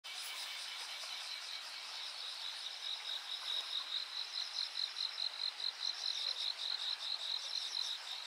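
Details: Insects at night on 13 August 2023 on a riverbank at Yanagawa, a steady high trilling mixed with repeating pulsing chirps.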